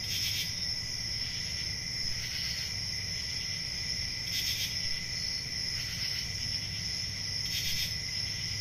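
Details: Steady shrill trilling of crickets on a summer forest night, punctuated by brief louder chirp bursts roughly every two to three seconds, with a quiet low rumble beneath.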